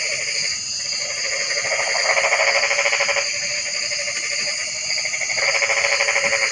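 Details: Rapid pulsed frog croaks run almost without a break, with several overlapping callers swelling and fading under a constant shrill background hum.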